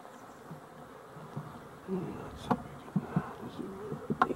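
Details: Busy honey bees buzzing around their hive, a colony showing little activity that may have lost its queen; a fluctuating low drone with several sharp clicks and knocks rising above it.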